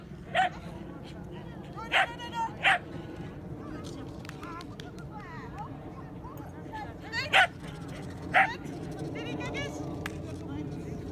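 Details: Sky, a tricolor Shetland Sheepdog, during agility training on 29 March 2017. Gives sharp, high barks singly and in pairs, about five across the stretch, with a person talking steadily in the background.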